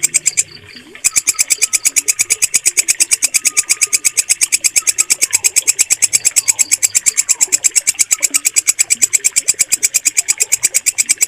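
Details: Walang kecek cricket giving a loud, clear, rapidly pulsed chirping, about three pulses per second in a steady regular series, after a brief quieter start.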